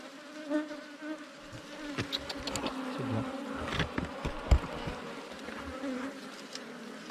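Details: Honey hunters work a hollow nest of wild ground bees, rare bees smaller than kept honeybees. A steady deep droning buzz runs under repeated clicks, scrapes and thumps of digging.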